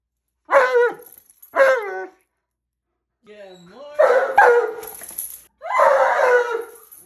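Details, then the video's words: A very loud Alaskan Malamute gives two short, falling, whining yowls, then a low quiet moan and longer, louder wavering howls. "He’s So Loud He Hurts His Own Ears"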